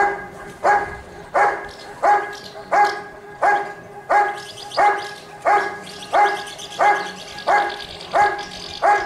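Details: At a 2022 IGP dog sport trial in Russia, the Giant Schnauzer Rick vom Lindelbrunn delivers a long, very regular run of about fourteen loud barks, one every 0.65 seconds, with faint higher-pitched background sounds midway.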